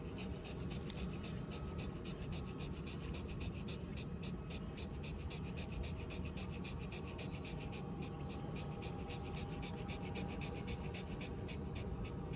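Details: Resting in the shade on chilled concrete at a breezy elevated arbor, Shiba Inu Ranmaru pants contentedly after a walk. The breaths come as fast, even, airy puffs over a constant low rumble of wind.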